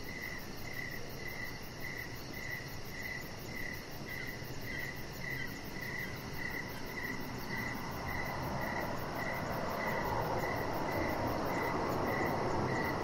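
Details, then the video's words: Evening cricket chorus beside a deck outdoors: a rapid, regular train of high chirps, about four per second, while a broad hiss swells louder in the second half. "Chihuahua Puppy Laying On Deck with Cricket Sounds"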